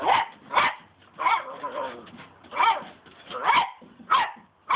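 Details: Cocker Spaniel barking while playing with a broom handle, short loud barks repeated roughly every half second to second, seven in all, with some whining growl between them and faint background noise.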